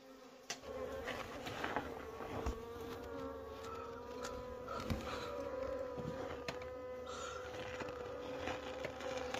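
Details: Wild honey bees drone steadily while their wild honey is being harvested: a continuous, buzzy hum with a strong steady tone and overtones, overlaid with frequent clicks, knocks and rustling from handling.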